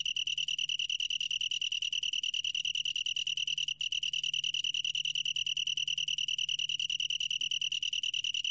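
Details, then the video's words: Long-tailed tree cricket, from National Institute of Biological Resources material dated 2020, singing a steady, high, ringing trill of rapid pulses with bright overtones. The trill holds one pitch and pauses only for a split second near the middle. "긴꼬리, 여러번 듣기, 곤충소리"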